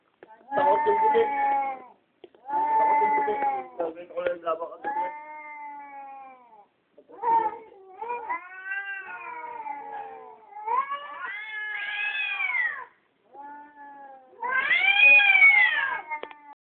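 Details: Two cats fighting at night during the lunar eclipse of June 16, 2011, caught on a cellphone while photographing the moon through a telescope; long, drawn-out wavering yowls bend up and down in bursts of several seconds, separated by brief pauses.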